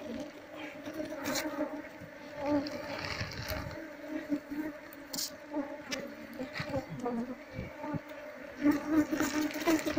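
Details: Honey bees being moved from their nest inside a loudspeaker box into a cultivation box. A steady low buzzing hum with a higher overtone runs throughout, broken by frequent clicks and handling knocks.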